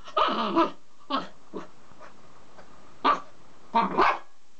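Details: Small black Mame Shiba Inu confronting its own mirror reflection, giving a string of five or six abrupt barks, some louder and longer than others, spaced unevenly over a few seconds.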